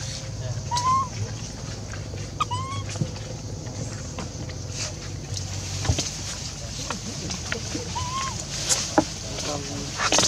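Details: Left alone, the orphan monkey Rainbow keeps crying to call Libby back until her voice gives out; brief upward-sliding tonal wails recur several times, some doubled, against low background hum and occasional knocks.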